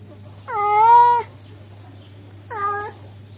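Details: Male cat calling a female: two harmonic meows, the first long and steady, the second shorter and quieter, with a low steady hum underneath.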